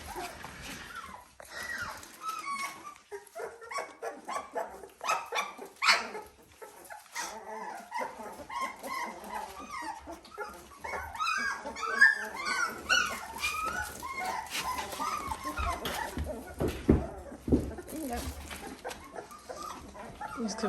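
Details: Dalmatian pups aged 17 days give thin, wavering whimpers and squeals, clustering most densely midway, amid clicks, rustling and bumping from handling indoors.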